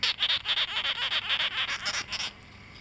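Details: Male sugar glider born in August 2009, kept indoors: a quick series of high, sharp pulses, about seven each second, runs for just over two seconds and then stops, leaving quiet room noise.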